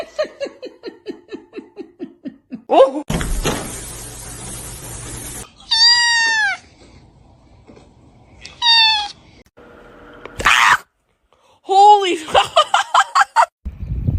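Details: Domestic cat calling indoors: a run of short rapid descending mews, then loud arched meows with rich harmonics, some quickly repeated in bursts, broken by bursts of broadband noise and short edits.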